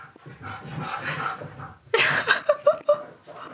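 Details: Key the Siberian Husky, indoors, vocalizing for his lunch. Human talk comes first, then a loud, strained, yowling outburst followed by short rising whine-like yelps in quick succession.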